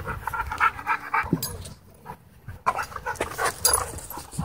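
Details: Dogs in wild play at a dog park, with quick rhythmic panting bursts, breathy huffs and short pauses between rushes of activity, plus scuffling in the background.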